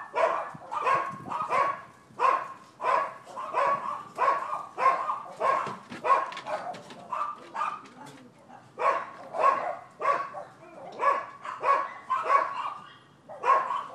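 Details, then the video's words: Neighbors' dogs barking, recorded 7 December 2015: persistent, fairly regular barking at roughly one and a half barks per second, loud and continuous throughout with only a brief pause. "Barking Dogs"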